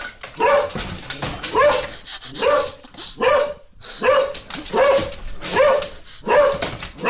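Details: Repeated dog barking from a comic pet compilation: around eight clipped, rasping barks over seven seconds, coming at a fairly regular pace with a tonal ring in each.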